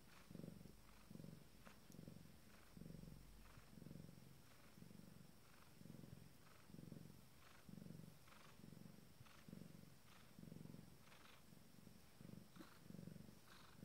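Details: Pregnant Abyssinian cat minutes before delivering her first litter, purring softly in even low pulses roughly every second over a long stretch, with faint higher breathy hiss on each cycle.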